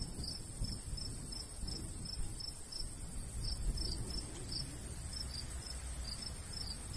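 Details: Crickets in summer countryside beside a golden wheat field, chirping in short, high, evenly spaced pulses about three times a second, over a steady low rumble of light breeze.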